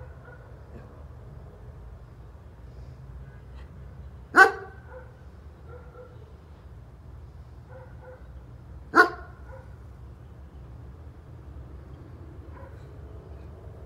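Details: A neighbour's German Shepherd dog barking: two sharp, loud single barks spaced about four and a half seconds apart, with faint tonal sounds in between over a steady low background hum.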